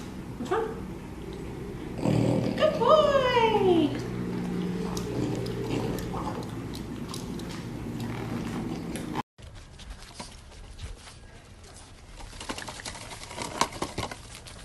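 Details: French Bulldog puppy indoors giving a drawn-out, falling, whining cry lasting about two seconds, with human voices around it and quieter rustling afterward.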